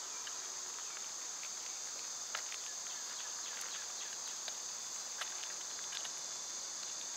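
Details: Summer cicadas, loud at this time of year, sing in a constant shrill whine held at one high pitch, while brief dry clicks and light patters pop up now and then in the background.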